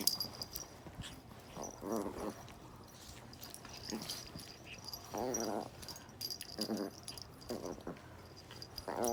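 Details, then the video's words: Domestic dogs playing rough together indoors, giving repeated short harmonic whines and yelps in bursts, with growly breathy noises between them and a steady high hiss in the background. "play rough!!! Lots of sound effects!"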